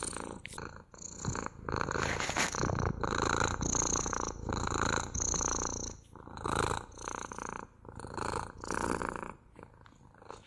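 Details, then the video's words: Domestic cat purring steadily, a rough pulsing rumble rising and falling with each breath, roughly every second, with brief pauses and soft rustling. "МУРЧАНИЕ | ПОЛЧАСА МУРЛЫКАЕТ КОШКА!"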